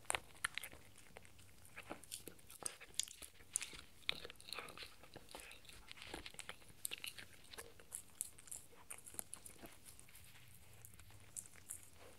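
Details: Indoors, 4-month-old Shetland Sheepdog Spencer works on a raw beef bone, producing rapid, crackly crunching and biting, busiest in the middle, thinning to scattered snaps toward the end over low room noise.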